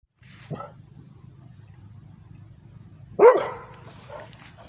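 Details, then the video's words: Rhodesian Ridgeback barking at passing transportation: a faint short bark near the start, then one loud, sharp, harsh bark about three seconds later, over a low steady hum. "Rhodesian ridgeback barking at the transportation"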